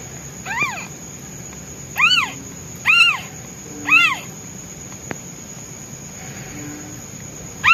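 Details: Newborn white kitten, male, meowing loudly for its absent mother, which is out hunting food: short, high arched meows rising then falling, four in a cluster roughly a second apart, then another at the end, over a steady high electronic whine.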